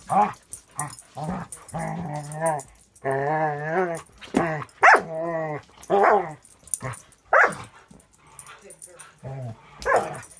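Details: A six-month-old Border Collie mix from a Wisconsin rescue playing with another dog; low play growls and rumbles alternate with sharp higher barks, irregular, with some human speech in the background.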